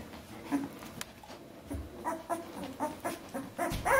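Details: Fourteen-day-old Bernese Mountain Dog puppies indoors give soft whimpers and short squeaky yips, rising to louder thin cries near the end, with faint knocks and rustling in the room.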